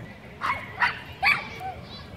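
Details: Chihuahuas protecting their turf against a Pit Bull and German Shepherd; three sharp high-pitched yaps in quick succession about every 0.4 seconds, then quiet background.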